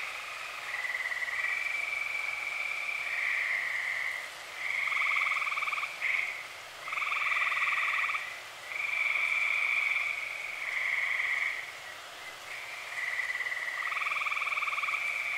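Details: Dozens of tree frogs calling at night in early summer in Eastern Pennsylvania, a dense chorus of long high trilled notes, some overlapping with lower pulsed buzzes, swelling in bursts of one to two seconds with brief lulls between.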